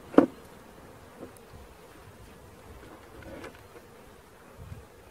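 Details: Swarm of honey bees during capture, with a new queen and the green-marked original queen nearby: an even, continuous low buzzing drone, opened by a sharp click and with a soft thump near the end.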